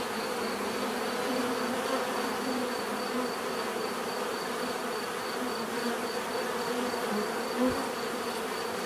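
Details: Steady swarm-like buzzing of bees, droning evenly with slight wavering tones, plus a short louder close pass of a single insect near the end.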